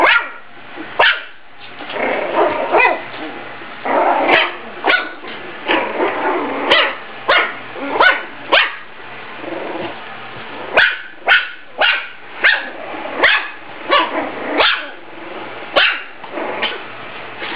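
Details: During a speed-eating contest between a Yorkie and a Maltese, a long run of rapid, high-pitched yapping barks comes in bursts, at times two or three per second, with brief pauses between the volleys.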